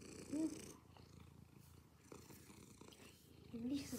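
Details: Purring domestic cat, a steady low rumble made of rapid pulses throughout, with brief short tonal sounds near the start and the end.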